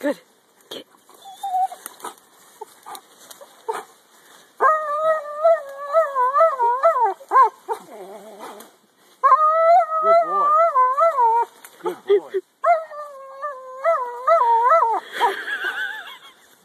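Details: German Shepherd biting a tree; long wavering whines with a warbling, yodel-like pitch that rises and falls in sustained runs, broken by short gaps and clicks, with brief spoken encouragement.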